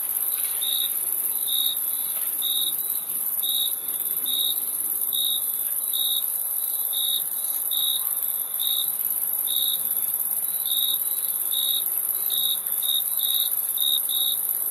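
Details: Crickets calling with a steady series of short chirps, close to one per second, some paired, above a continuous thin high hiss.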